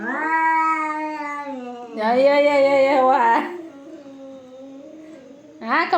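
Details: Domestic cats in a fight, giving sustained, tonal, rich-harmonic yowls that swell and dip, with a louder strained section midway and a sharp rise at the end.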